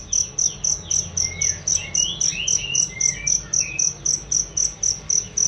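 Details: Cricket chirping, used as a training sound for songbirds: loud, clear high-pitched pulsed chirps repeated steadily about four times a second, with faint sweeping bird notes behind.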